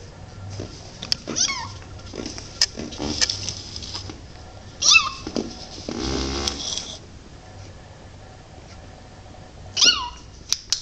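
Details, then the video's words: Tiny abandoned male kitten found in the rain and taken in, mewing repeatedly in high, thin, downward-sliding cries, a few seconds apart, with a rustling patch midway and soft clicks. "Tiny adorable kitten meowing"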